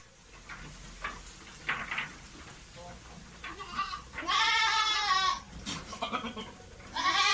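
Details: Goat in heat, wanting to mate. Wavering, harmonic bleats: a long loud one at mid-clip and another starting at the very end, with softer bleats and some human voice before them.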